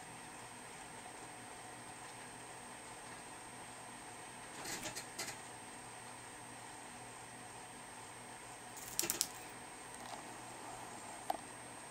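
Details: Near-silent indoor room with a steady faint hum, a few soft taps and rustles, and brief scratchy clicks around the middle, with no clear animal voice.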